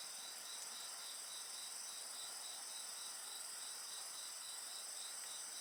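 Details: Insects singing at night beside a bonfire: a steady high chorus of several callers, one pulsing trill of rapid regular chirps running throughout, under faint fire crackle.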